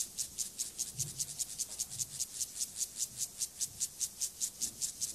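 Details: Stridulation of the acridine grasshopper Gomphocerus sibiricus during sexual behaviour: an even, rapid series of crisp, hissing rasps, roughly five per second, evenly spaced and high-pitched, with little else audible.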